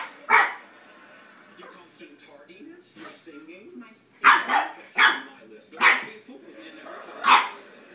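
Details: Boston terrier puppy barking at a cat: six sharp, high yappy barks, one early then a quick cluster of four and a final one near the end, over quiet background talking.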